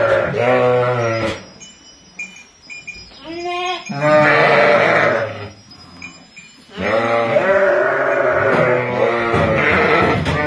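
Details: Ewes and lambs in a small flock at Kafr al-Labad, Tulkarm, calling with several harsh, trembling bleats, one short and others drawn out over two to three seconds, with quieter gaps between.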